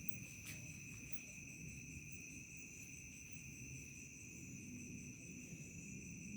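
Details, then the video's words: Night insects of a remote village, crickets giving an even, ceaseless high trill in two pitches, one sharp click near the start, with a low rumble underneath. "SUARA JANGKRIK SENJA MENJELANG MALAM"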